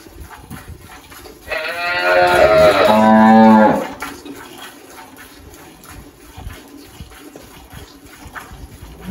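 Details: Single drawn-out moo from Malhada, an 18-year-old spotted Girolando cow kept on a farm in Anápolis, Goiás, Brazil, recorded in March 2023; a rich, rising-then-falling lowing call lasting roughly two seconds over low background noise.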